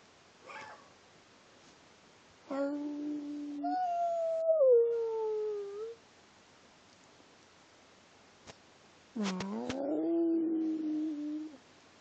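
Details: A pet dog talks indoors: a brief squeak, then a level whine that slides into a falling, yodeled howl. After a pause comes a final wavering tonal moan that rises and then slowly falls.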